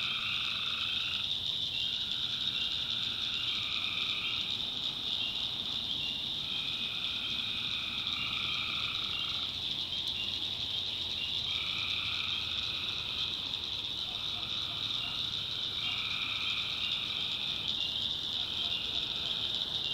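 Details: Tree frogs chorus after dark in the North Carolina backwoods swamp. Over a constant high shrill wall of sound, lower trilled calls recur in rhythmic bouts of roughly two seconds, pausing and resuming many times.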